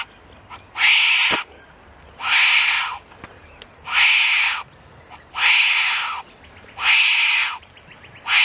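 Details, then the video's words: Wombat making loud, raspy, hiss-like bursts in a steady rhythm, about one every one and a half seconds, each lasting under a second. Quiet pauses fall between them. "Real Wombat Sounds"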